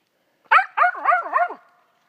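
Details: Female dog, just one year old, barking at a gray squirrel she has treed in South Georgia: a fast run of five hoarse, sharp barks packed into about one second, then quiet.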